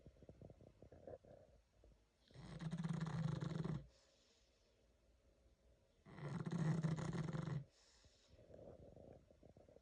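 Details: Nearly 11-year-old female pug asleep, producing two drawn-out, throaty, vibrating snores about four seconds apart, separated by faint soft exhalations and light snuffling.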